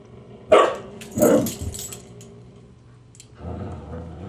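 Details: Grouchy Husky named Siku snapping at Husky puppy Loki, who keeps teasing him; two short harsh snarls about half a second apart, then a low rumbling growl near the end.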